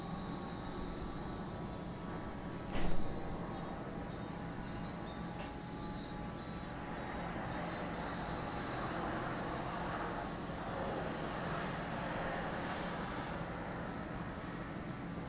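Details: Cicadas at Lake Kamo in Sado City, Niigata Prefecture, Japan, producing a dense, unbroken high-pitched buzzing drone that holds steady throughout, with faint low rumbling and a couple of soft thuds underneath.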